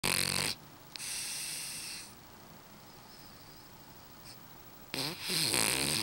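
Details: French bulldog asleep, snoring in long breathy hissing rasps: one short burst, a second lasting about a second, then a long quiet stretch before another rough, rattling snore.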